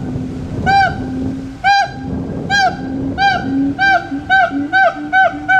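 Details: Siamangs singing: steady low hooting tones under a series of loud, ringing whoops with arched pitch that come faster and faster, roughly one per second at first, then about every half second.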